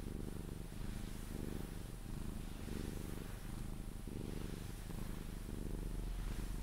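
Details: Sphynx cat purring while being cuddled, until it falls asleep: a steady low rumble in pulsing bursts, each about half a second long, close up and continuous through the clip.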